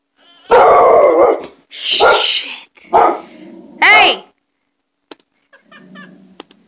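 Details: A pet dog barks in reaction to loud noises. It gives four loud, harsh barks over about four seconds, then falls quiet, with faint clicks and a brief human voice afterward.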